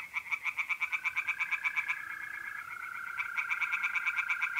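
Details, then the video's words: Singing tree frogs in a pond at night, North-East Italy, mid-April; quick pulsed croaking bursts break off for about a second and then start again, while a continuous mole cricket trill hums beneath. "relaxing singing tree frogs in pond and trilling mole crickets by night"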